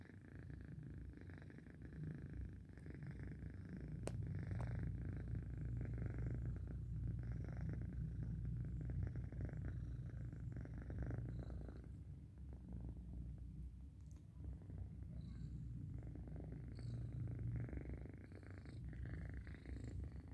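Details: Sleeping domestic cat purring steadily, a deep low rumble pulsing about three times a second, swelling louder through the middle and softening toward the end; one brief sharp click early on, otherwise a quiet indoor setting.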